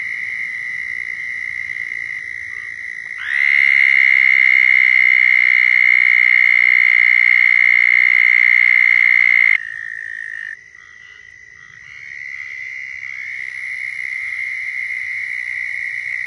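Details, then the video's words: Southern toads trilling their mating call in Florida. A steady high trill runs throughout, and a much louder, nearer toad joins at about three seconds, holding a strong buzzy trill for six seconds before stopping, while others continue. "Southern Toads Calling in Florida"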